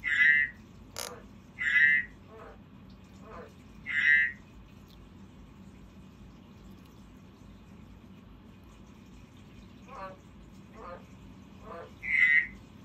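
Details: Frog giving short rasping croaks in a quiet room, three in the first four seconds, then soft rattles and a long pause before one more croak.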